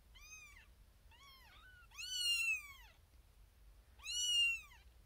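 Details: Firstborn kitten Xena Thumbalina, a little female born April 1st, 2021, demanding her owner's attention indoors among six littermates in a birthing box; four shrill arching meows, two short ones close together, then two longer, louder cries.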